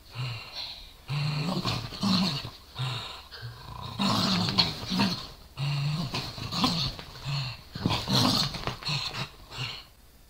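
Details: Two small dogs, a Corgi and a Dachshund, tussle playfully over a toy. The corgi growls and snarls and the dachshund barks. Steady low growls alternate with harsher, noisy snarling bursts, nearly continuous and occasionally broken by brief gaps.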